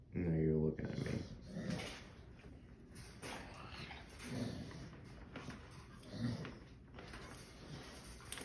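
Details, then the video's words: Bulldog making low, gravelly golem-like groans while scratching his back indoors; a loud harmonic groan opens, followed by quieter grumbling noises and rustling in a small room. "Bulldog making golem noises scratching his back"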